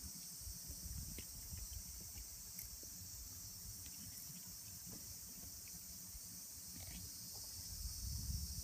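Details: Many cicadas calling around trees where their shed husks cling to the bark: a steady, high, hissing drone runs unbroken throughout, over a low rumble of outdoor background noise.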